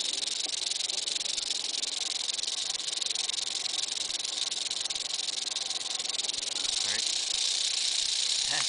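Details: Continuous rattle of an Eastern diamondback rattlesnake, a harsh, sizzling high buzz that never breaks, with a couple of faint knocks near the end.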